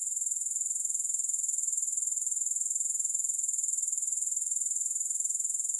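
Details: Grasshoppers, recorded for sleep and relaxation with no music, keep up an unbroken high-pitched pulsing trill, a rapid and very regular dry chirring with no other sounds.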